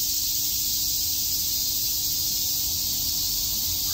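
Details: Cicadas in Shakujii Park, Tokyo, on a summer day: an even, continuous high-pitched buzzing drone that does not change over the whole stretch, with no other clear sounds.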